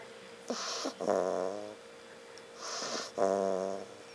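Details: A pet dog asleep indoors, snoring: two drawn-out snores about two seconds apart, each a breathy inhale followed by a longer buzzy, harmonic-rich rasp.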